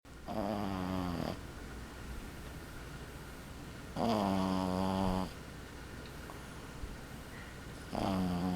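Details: A 12-week-old male Boston Terrier puppy snores in buzzy, nasal breaths roughly every four seconds.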